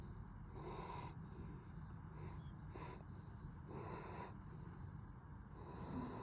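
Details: German Shepherd dog, exhausted after two nights in home daycare, snoring as it sleeps: raspy, snorting breaths come in short bursts about every one to one and a half seconds over a steady low rumble.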